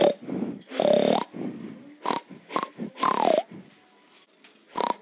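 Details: Pig (Sus scrofa domesticus), grunts.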